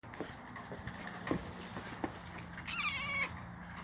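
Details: Small vagabond cat, filmed 19 November 2017 while biting a person, lets out one high squeaky meow about half a second long, wavering then held level, after several seconds of scattered clicks and rustling handling noise.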